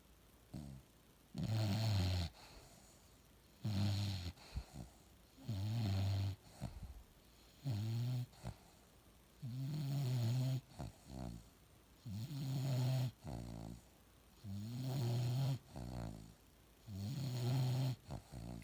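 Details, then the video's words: A Bulldog snores loudly, eight or so deep, gravelly low-pitched snores spaced about two seconds apart in a regular breathing rhythm, quiet pauses between each. "Bulldog snoring"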